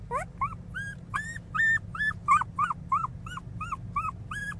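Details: Pinscher puppy crying very loudly: a rapid series of high, whining yelps with arched, slightly falling tones, about a dozen in under five seconds, each short and nasal, with steady low background hum.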